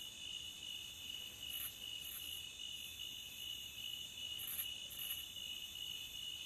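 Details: Crickets at the beach fill the air with a constant shrill ringing. Twice, a higher chirp pair sounds, each pair of quick bursts roughly half a second apart. A faint hiss sits below.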